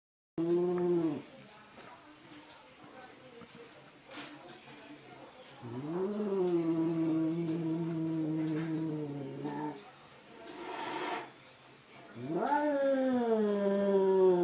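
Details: Angry cats caterwauling: long, low, wavering yowls that swoop upward and hold drawn-out moaning tones, broken by quieter pauses and a brief noisy burst near the middle.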